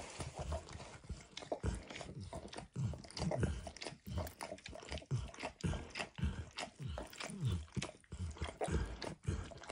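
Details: Close recording of the dog Max working over an orange textured mat with food: steady run of wet tongue slaps and smacks, several per second, deep and muffled, with no voices.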